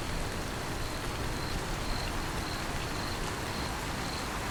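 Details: Heavy rain with a cricket chirping faintly at first, then clearer high pulses roughly every half second through the steady rain hiss.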